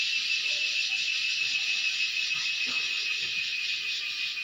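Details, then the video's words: Loud, steady shrill whine of a cicada, known locally as cheeveedu. It keeps a fast, even throb with a thin pure whistle-like tone running beneath the buzz, unbroken for the whole stretch. "Cicada sounds/Cheeveedu"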